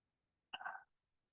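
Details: A wood frog (Lithobates sylvaticus) gives its early-spring breeding call, a single short, raspy, duck-like cluck likened to a finger rubbed on a wet balloon; wood frogs call briefly in early spring, then stop until next year.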